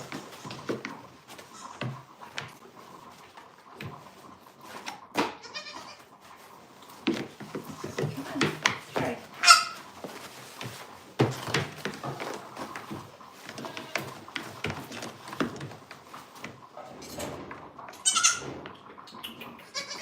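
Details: Goat at The Willful Goat Farm & Home giving scattered bleats among frequent clattering and knocking noises, with faint voices and a steady background hum.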